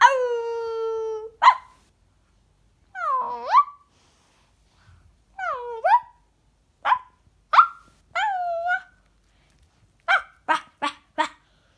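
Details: Pet Yorkshire Terrier, a female close to the family, 'talking' with a child: a long steady whine opens, followed by swooping up-and-down yowls and single yelps, ending in a quick run of four sharp barks.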